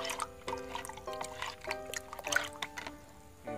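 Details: Light instrumental music with sustained tones and dripping, pouring liquid sounds; no animal calls are heard.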